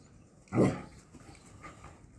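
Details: English Springer Spaniel puppy from Ruby Todd's first litter, the Harry Potter litter, growing up at a kennel; a single short, sharp yelp or bark in a quiet room, followed by faint low rustling.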